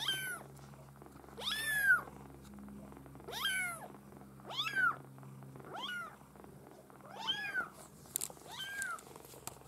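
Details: Bred Maine Coon kittens from one litter mewing loudly and insistently, sharp rising-then-falling cries repeated roughly every second or two, some overlapping, with a low hum behind.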